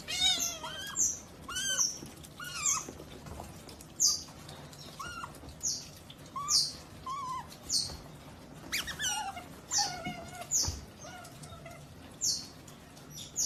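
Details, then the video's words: Otter voicing a steady series of short, high, sharply falling chirps, about one per second, with softer squeaks between and faint background noise. "OTTER Strange Noises"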